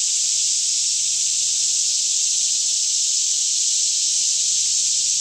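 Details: Forest cicadas near Franklin, Kentucky, chorusing by day around 10am in calm air; an even, intense high buzz fills the whole stretch without variation, faint low hum beneath.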